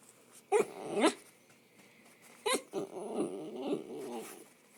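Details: A dachshund, a spoiled indoor pet, whining for attention from its owner; short rising-and-falling nasal whines come in pairs, then a softer wavering run of whimpers.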